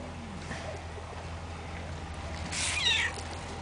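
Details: Shelter cats described as fat and always hungry; a single short meow rises and falls near the end, with a stack of harmonics, over a steady low hum.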